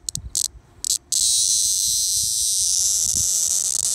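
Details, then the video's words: Linne's cicada (Neotibicen linnei), caught by hand on a lunch break in Middletown, New Jersey, filmed with a cellphone: a few short buzzy bursts, then a loud, continuous, harsh high buzz that holds steady to the end. "Neotibicen linnei cicada alarm squawk"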